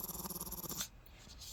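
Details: A female Shih Tzu, born 2015, gives a short, rattling growl of refusal during a morning session, apparently rejecting massage and a bath, then falls quiet.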